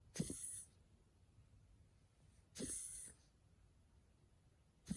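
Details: Muuchin, a pet dog with mild bronchitis as diagnosed at a vet, gives short harsh broadband coughing bursts: one near the start, another about two and a half seconds later, and a third clipped at the end, in a quiet room.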